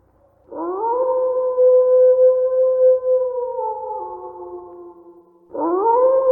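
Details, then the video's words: Wolf howling, a rising onset into a long, steady, tonal note held for several seconds that slowly sags lower, then a fresh rising howl begins; clean, with no other sounds. "Som de lobo uivando"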